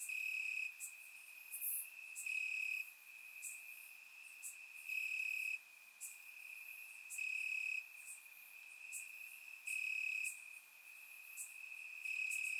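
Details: Crickets chirping in the grass on a warm summer night in Bulgaria, recorded with a surround microphone: a steady high trilling band with louder bursts pulsing roughly every two and a half seconds over a faint hiss.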